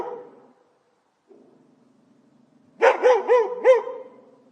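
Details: Domestic dog, faint low growling and whining, then a burst of four rapid, ringing barks about a quarter second apart, followed by a soft lingering whine.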